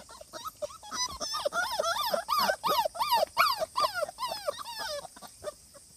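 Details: Cardigan Welsh Corgi puppy at the vet for a health check and vaccination, recorded 16 August 2020; a rapid series of high, rising-then-falling whining yelps, about two to three per second, continuing for most of the recording.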